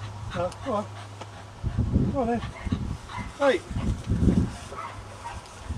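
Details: Cocker spaniel at its kennel on the day a puppy is collected: several quick whining yelps, each sliding downward in pitch, coming in short bursts with people talking nearby.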